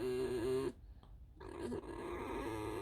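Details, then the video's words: Alice the pet fox lets out a short wavering squeak, falls silent briefly, then resumes with a quieter, steadier whine. "Алиса - лиса. Просто скрип"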